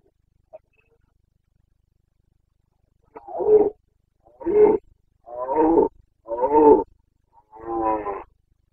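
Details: Breeding-season roaring of a Carpathian stag, Bucovina, 29 September 2022: after a brief click, five deep, rasping bellows about one second apart, each rich in harmonics, with no other noise.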